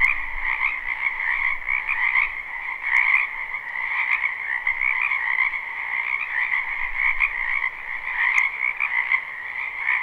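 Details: A live spring recording of many frogs in a wetland: overlapping, trilling croaks blend into a steady, continuous, mid-pitched drone.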